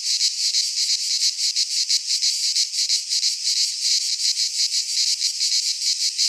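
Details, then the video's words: Cicadas in a Greek pine forest during midsummer, a piercing high buzz pulsing steadily about three times a second, with nothing else audible. "Cicadas singing in midsummer"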